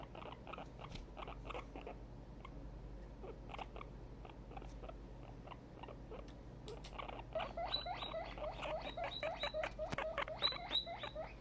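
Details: Tiny, a very excited guinea pig kept as a pet, starts with scattered short squeaks, then from about the middle bursts into a dense, louder stream of high, ringing, rapidly repeated squeaks.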